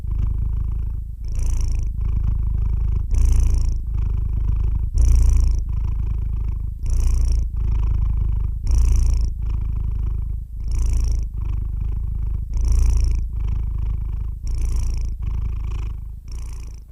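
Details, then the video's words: Long steady purring from a domestic cat, a deep vibrating hum that rises into hissy breath surges roughly every two seconds, evenly paced throughout, with no other sounds present. "the sound of a cat's roar"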